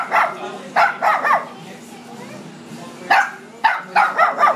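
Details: Poodle at Citipups giving short, sharp barks in bursts, two near the start and a quick cluster of three toward the end, with quiet stretches between and soft music humming underneath.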